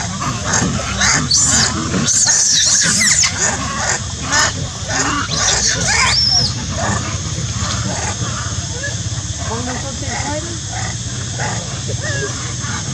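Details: Monkey. Harsh, piercing screams from a monkey come in quick, ragged bursts, loudest over the first few seconds. People talking can be heard in the background throughout.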